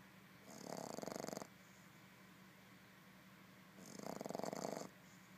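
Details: A sleeping Boston Terrier puppy snores in two raspy, rattling breaths about three seconds apart.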